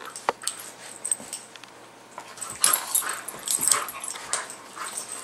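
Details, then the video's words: Indoor play between two pet dogs, Max the miniature pinscher and Guinness; high yips and whimpering grumbles come in short irregular bursts, louder toward the middle, over clicking and scuffling noises. "Max & Guinness At Play"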